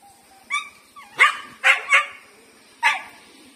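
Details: Female pet dog Lucky resisting a big street dog's approach. A thin whine leads into a rising cry, then three sharp yelping barks in quick succession and one final bark after a pause.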